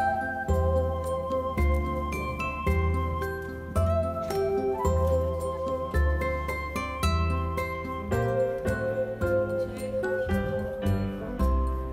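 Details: Bright instrumental music with chiming, bell-like notes over a steady low bass pulse; no animal sounds are heard.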